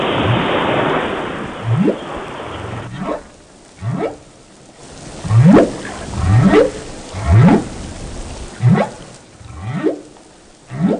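A whale sings a series of low, rising moans, each sweeping upward about once a second.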